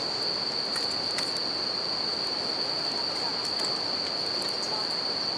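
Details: Steady shrill ringing of bell crickets at a riverside campfire, one sustained high note layered over the roar of flowing water, with occasional sharp fire crackles.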